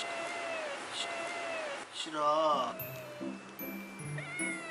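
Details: Domestic cat watching from the side while another cat is brushed gives a drawn-out, gently falling meow early on, followed by bright playful background music.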